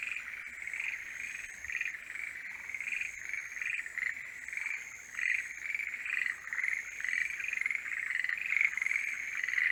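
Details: Forest green tree frogs in the mating season giving a dense croaking chorus that pulses in irregular louder bursts and grows stronger toward the end, over a faint continuous high-pitched whine.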